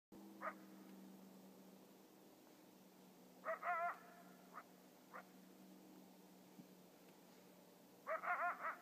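A coyote gives sharp, high barks and quick yipping bursts separated by pauses.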